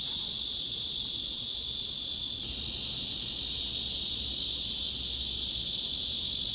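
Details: A cicada's steady, high-pitched buzzing drone in roughly the 3.6–4.2 kHz mid-frequency range, unbroken and hiss-like throughout, presented as a tinnitus masking sound.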